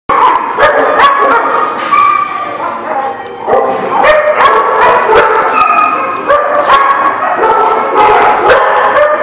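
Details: Dogs barking at length, recorded 24 June 2016; overlapping sharp barks and yips from several animals, about two or more per second, layered with strained higher-pitched tones and no pause across the stretch.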